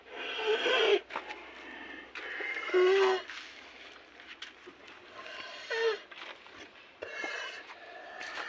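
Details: Rasping, wheezy breaths from cattle suffering snoring disease, loud snorting bursts with a brief low tonal whine in some, separated by softer raspy breathing in an irregular rhythm.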